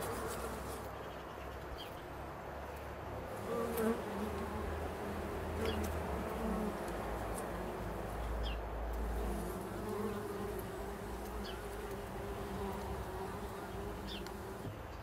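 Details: Bumble bees living in a bee hotel intended as winter protection, now used as a hive; continuous low drone of many bees, individual wingbeats rising and falling in pitch as they come and go, with faint clicks.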